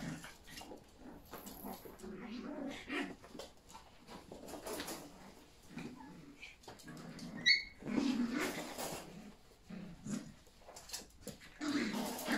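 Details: Yorkshire Terrier puppies playing with their mother indoors, running everywhere. Scattered low growls and soft whimpers come in short bursts amid scuffling and pattering movement, with one sharp high squeak in the middle.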